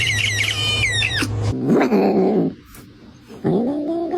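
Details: Domestic cat indoors giving a string of meows: a high, harmonic cry at the start over a low steady hum, then a lower, wavering meow and, after a brief quiet gap, a rising nasal meow.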